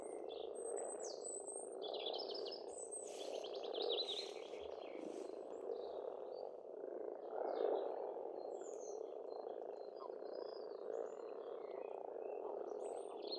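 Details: Spring frog chorus at an Estonian pond, a continuous low purring croak that never breaks, overlaid by several birds singing bright whistles and rapid trills, loudest in the first five seconds.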